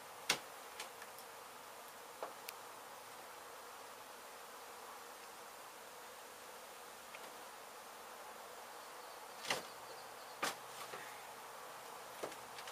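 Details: Bees from a hive in an abandoned, partly demolished home in Mission, Texas, during removal and relocation. An unbroken, hissy hum fills the clip, with only a handful of sharp clicks.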